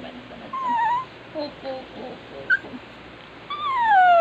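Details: A crying dog gives a high, falling whine, then soft broken whimpers and a brief squeak. The clip ends with a long, loud cry sliding steadily downward.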